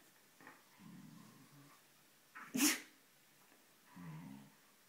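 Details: Siberian Husky lying on its mistress's bed and unwilling to leave: a low, soft grumbling groan, a sharp breathy sneeze-like snort, then another brief low grumble, in a quiet indoor room.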